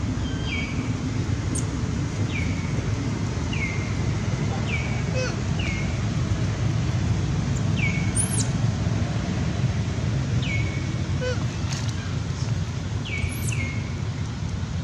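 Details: Crying of baby monkey Baron after being kidnapped by monkey Bridget, calling its mom: about eleven high, falling cries, sometimes in quick pairs, with a few sharp high squeaks, and steady low rumble throughout.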